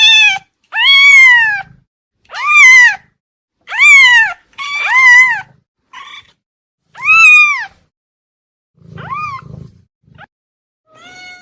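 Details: Cat giving a run of repeated arched meows, about one every second or two, each rising and dropping in pitch, later ones softer and shorter with faint low rustling between.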